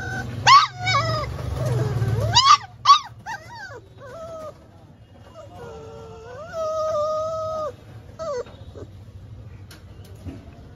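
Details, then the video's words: Labrador Retriever whimpering when denied food: high, sliding whines in quick bursts, then a long wavering drawn-out whine held for about a second and a short final whine, with a low rumble underneath at the start. "No food challenge Labrador"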